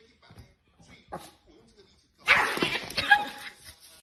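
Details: Pet dog in a funny compilation: faint voices, then a sudden loud, rough burst of barking and grumbling lasting about a second.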